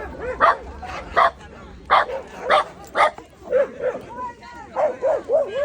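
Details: Shiba Inu facing a gorilla: five sharp barks spaced under a second apart, followed by a run of higher, whiny, rising-and-falling yelps; faint background murmur.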